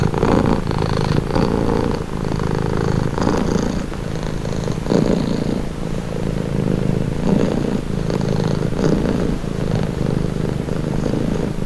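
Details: Close, constant purring from a cat: a low vibrating drone pulsing gently in rhythm with its breathing, roughly every one to one and a half seconds, quiet background otherwise.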